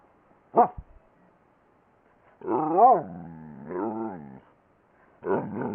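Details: Twinkle the talking dog vocalizing indoors: one sharp short yelp, then a long wavering moan that rises and falls like speech, a second lower drawn-out groan, and a final rough burst at the end.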